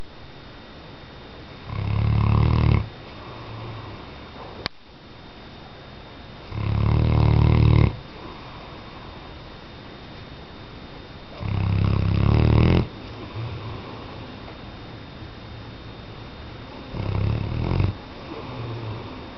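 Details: Weimaraner dog snoring indoors: four long, rough, low rumbling snores, each lasting about a second, spaced roughly five seconds apart, with quiet breathing pauses between them.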